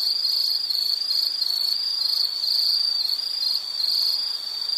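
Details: Insect chirring used as calming background sound: a high, shrill trill split into short uneven pulses, steady and loud, with a slight hiss beneath.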